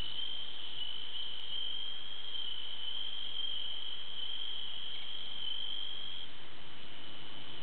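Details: Bell crickets chorusing at night: a steady, unbroken high ringing trill held at one pitch throughout, with a faint low background hum.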